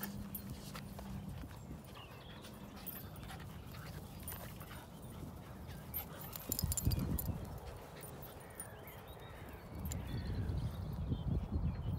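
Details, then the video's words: Two dogs at play, Lizzie, a rescued Staffy Ridgeback cross, and Jasper, an energetic Cockapoo puppy: low rumbling growl-like sounds and scuffling footfalls, swelling louder in bursts near the middle and end. "Abused rescue dog Lizzie plays with crazy funny puppy Jasper"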